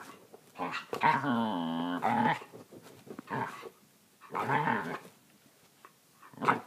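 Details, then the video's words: Kayla, an Australian Kelpie, making funny noises indoors: a drawn-out, wavering, harmonic grumble-whine of about a second, followed by shorter throaty grunts and a second rising, moaning burst near the end. "Kayla and her funny noises"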